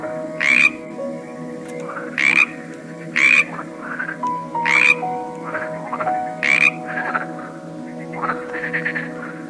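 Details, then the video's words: Various frogs croak in loud, buzzy bursts spaced one to two seconds apart, with softer scattered croaks and a constant humming drone in the background. "A cool collection of various frogs - Croaking sounds"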